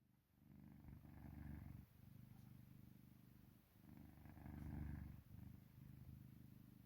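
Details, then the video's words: Pet cat, adopted, asleep in deep sleep beside its owner, purring or snoring: a low, steady rumbling throb in long breaths, each lasting a couple of seconds, swelling and fading with soft pauses between. "골골송인지 코골이인지"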